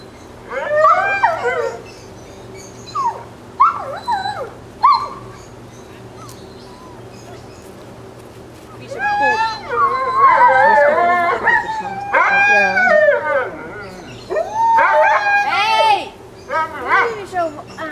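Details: Alaskan Malamute puppies, 26 days old, from Ciqala's litter at Sakima Kiwidinok, recorded 20 September 2009: bursts of high, wavering whines and yelps from several pups, rising and falling, with Dutch speech and quiet gaps between.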